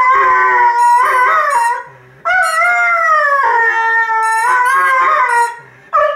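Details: Red and white setter dog singing along with his squeaking football: wavering, sustained howls in several phrases, interleaved with quick bright toy squeaks and short pauses.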